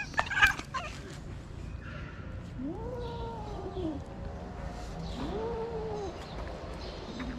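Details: Stray calico cats on a street in Morocco, attacking a kitten: two drawn-out, low moaning yowls, each rising then sliding down over about a second, separated by a short pause, with a sharp knock and faint background noise at the start.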